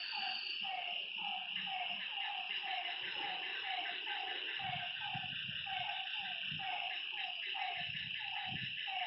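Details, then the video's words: Lakeside frog at night repeating short, throaty notes about twice a second. A loud continuous insect buzz and cricket chirps sit on top, with soft low thumps underneath. "Lakeside night creatures and frog sounds"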